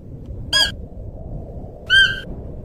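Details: Siberian musk deer calling: two short, nasal, steady-pitched harmonic calls about a second and a half apart, the second slightly longer, over a soft low rumbling background.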